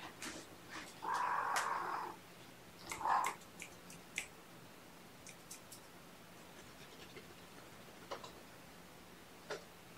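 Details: Sleepy kittens waking gently from a nap while snuggled with a person on weigh-in night; a drawn-out mid-pitched mew lasting about a second, then a shorter second mew, over soft room noise and scattered faint clicks.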